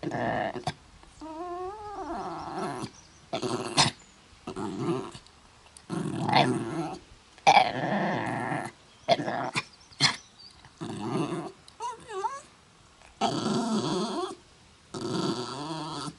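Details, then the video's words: Mutley the dog, suffering from a bad cough, attempts to sing at Bredagh, Carrigallen, County Leitrim, 27 August 2016, giving many short husky bursts, some rising and falling like a warbled howl, separated by brief silences. "Funny dog tries to sing, but he suffers from a bad cough."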